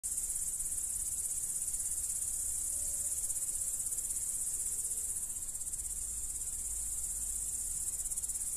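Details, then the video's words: Crickets recorded in the Dominican Republic: a dense, steady high-pitched trill fills the night without a break, with a faint low rumble underneath. "Celestial Cricket Sounds"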